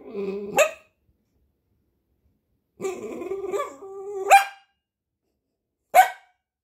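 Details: Piebald Dachshund trying to get its owner's attention: three bursts of drawn-out, wavering whining tones, each ending in a sharp, high bark, the last a short lone bark after a pause; quiet room otherwise.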